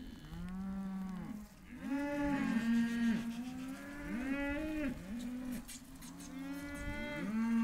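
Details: Hereford calves in a sale lot: several overlapping moos, low and drawn out with rising-then-falling bleating tones, repeated by more than one animal throughout.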